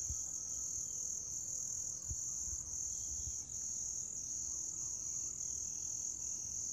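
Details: Unbroken high, sizzling trill of grass insects at a steady level, with a few faint low thumps early on and a brief dip in volume midway.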